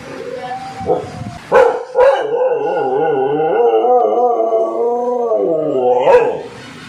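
An American Pit Bull Terrier gives a long, wavering howl after a few short yips.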